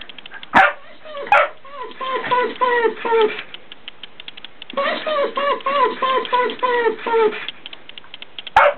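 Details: Fox terrier vocalising to wake someone up as it grows late: two runs of rapid, whiny yelps falling in pitch, repeated several times a second, broken by sharp knocking clicks.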